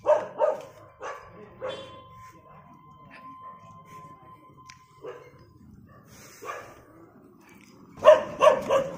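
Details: German Shepherd fighting with a street dog; loud harsh barks in quick clusters at the start and end, a few single barks between, with a long steady tone running through the middle.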